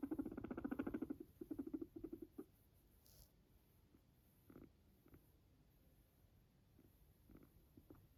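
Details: Low pulsed purring from Max, a lone pet Sheltie guinea pig, in three quick bursts over the first two seconds, then quiet with faint scattered taps and rustles.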